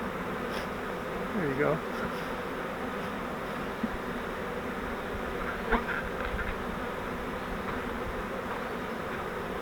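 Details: Honey bee swarm caught in a flowerpot swarm trap, being moved into a Langstroth hive: a dense, steady humming buzz fills the air throughout, with a brief human voice near the start and a few faint knocks.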